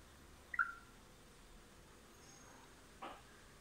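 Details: A female pet chipmunk gives a single sharp, high chirp, her mating call, followed by a soft rustle; the male nearby seems frightened rather than pleased.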